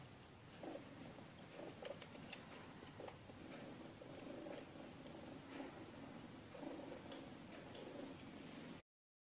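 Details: Purring mother cat beside her kitten, the rumble swelling and easing in breath cycles about once a second, a soft rhythmic throb over light hiss, cutting off abruptly near the end.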